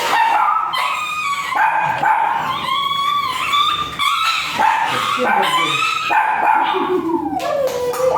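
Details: Dog at Mapandan Vet Clinic during a shooter (artificial insemination) service, both dam and sire still virgin; high, wavering whines and sharp yips in rising and falling harmonic slides, nearly continuous for eight seconds, with human voices mixed in.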